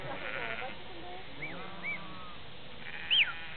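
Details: Organic sheep in Sweden being herded by a dog give a few hoarse bleats at the start and end, between short whistled rising-then-falling notes, over steady background noise.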